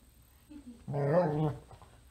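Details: Gracie, a female dog, unsuccessfully trying to get Pete the cat out of her bed indoors, gives a single drawn-out, harmonic, groaning whine lasting about half a second, steady then fading, in a quiet room.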